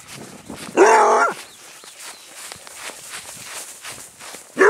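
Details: Adopted basset hound, a male rescued from a puppy mill in Arizona, being chased in play on a small patch of grass: one loud, harsh bark, another starting at the end, a person coaxing beforehand.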